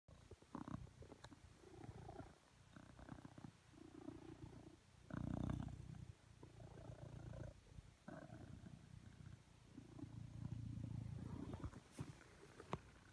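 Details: Blue British Shorthair cat, male, purring as he lies beside his owner on a sofa asking for cuddles; low rumbling purr in steady breathing cycles with brief pauses between breaths, a few faint clicks and rustles.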